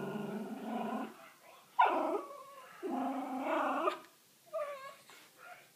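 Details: Miniature Schnauzer dog throwing a fit over food, indoors: a drawn-out whining growl, then a sharp yelp, another long moaning grumble, and a short whimper at the end, with a person calling to it.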